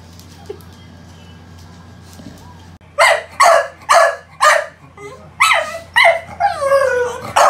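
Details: Pet American Bully, pocket-type Bilbow or classic-type Lily, breaking from near quiet into a burst of quick, loud barks, some rising into whiny yelps, with a steady low hum behind.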